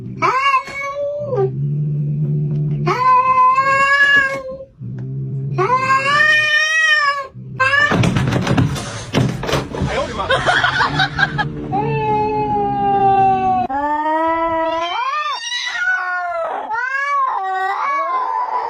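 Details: Cats fighting: drawn-out wavering yowls alternate with a harsh, noisy screeching scuffle in the middle, followed by rising and falling caterwauls that overlap and climb in pitch toward the end.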